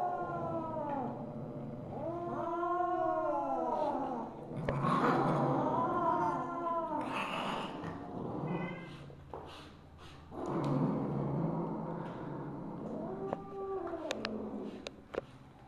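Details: Siamese mother cat Misu, on the evening of 2/1/2015, gives a string of arched, bending meows in bursts across about fifteen seconds, some loud and harsh, separated by short pauses, with scattered clicks and rustling noises.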